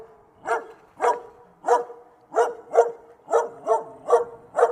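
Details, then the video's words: Dog giving a steady series of nine clipped barks, evenly spaced about every half second, with a tonal ring to each bark and a quiet background. "صوت الكلب"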